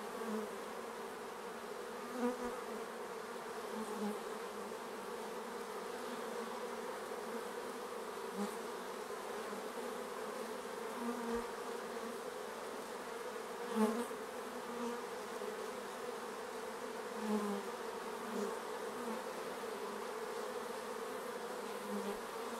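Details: Steady buzzing of many bees around a hive at an apiary, an unbroken low drone dotted with brief louder buzzes from bees passing near, a few soft clicks scattered throughout.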